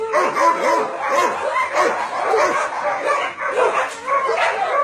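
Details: Crowded dogs at a Nonsan, South Korea meat farm and puppy mill, January 2017, barking and yipping nonstop, short sharp calls overlapping with occasional whimpering howls.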